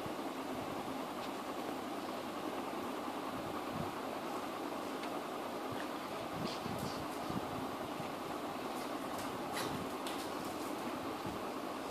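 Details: Steady broadband rushing noise, like a fan or a passing train, fills the whole recording with a few faint clicks and no animal voice.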